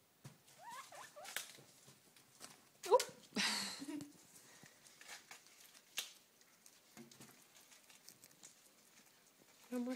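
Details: Three pet guinea pigs wheek in quick, high-pitched, rising-and-falling squeals, begging to be fed when a salad bag is crinkled; the crinkling plastic and a few spoken words break in between calls.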